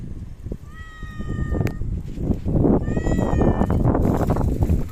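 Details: Outdoor park cats on 3 August 2023, after Typhoon No. 6 passed; a long level meow followed by a shorter, slightly rising one about two seconds later, while low crunching and rustling noise grows louder.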